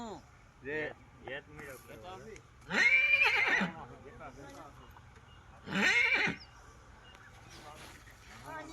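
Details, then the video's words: Stallion shown to a mare for mating, neighing twice in loud, shaky whinnies lasting about half a second each, with men talking in Gujarati between calls. "Horse Mating"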